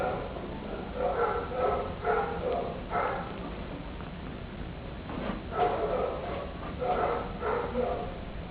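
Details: Attention-seeking kitten giving short, high-pitched mews in clustered groups of two or three, separated by brief pauses, against faint background hiss.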